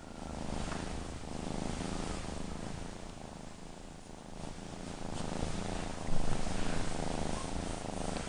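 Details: Steady low purring from Appa, a female kitten, rumbling evenly at a fast pulse over a broad hiss of background noise, with a short louder bump near the end.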